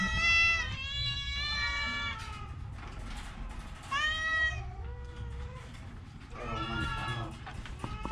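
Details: Orange cat, sick with a cough and cold, giving a series of drawn-out, harmonic meows, several overlapping or in close succession, with a low background hum throughout.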